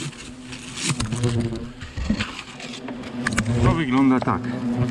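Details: Hornets buzzing around their nest hidden under polystyrene in a smokehouse chimney in a garden arbour during nest removal; a low droning hum with a steady tone, intermittent bursts, and a man speaking Polish nearby.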